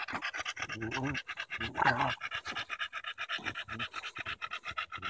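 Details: Daisy the Bulldog pants hard while battling a branch on a July 2014 walk in Erindale Park: rapid, breathy, evenly spaced huffs fill the clip, with a brief human voice near the start.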